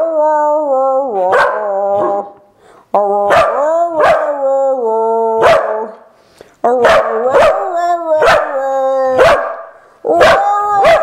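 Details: A Corgi, prompted by its owner to sing a Christmas carol, tries to bark Jingle Bells: tuneful barks, some held and others clipped, glide up and down in pitch. Sharp bursts and brief pauses break up the sequence, and afterwards its voice is said to be worn out.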